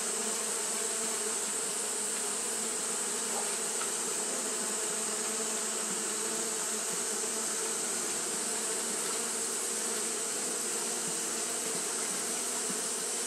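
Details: Continuous fanning by Japanese honey bees in hot weather gives a smooth, unchanging hum with layered low tones, a few faint clicks, and a steady shrill hiss above.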